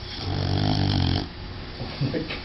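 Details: A female dog snoring indoors, one long low rumbling snore about a second long that fades out, followed by quieter breathing and a few soft stirring sounds.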